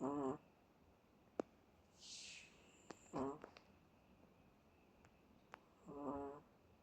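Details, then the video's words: Bono, a Chihuahua, snores again and again in deep sleep: three buzzy, rattling snores about every three seconds, with a soft breathy hiss and a few small clicks between them in a quiet room. "Chihuahua Bono in deep sleep. Snores over and over."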